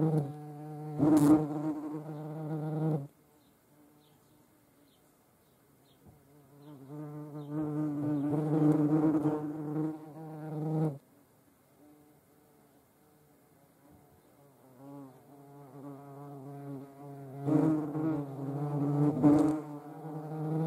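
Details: European hornets (Vespa crabro): three separate bouts of deep, harmonic buzzing, each lasting about three seconds, divided by quiet gaps as the insects fly in and out of range.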